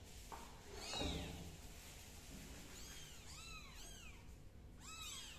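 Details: Kitten crawling on the floor as an adult cat walks away; after a soft early rustle, a quick series of four high, thin, arched mews with bright overtones sounds in the second half.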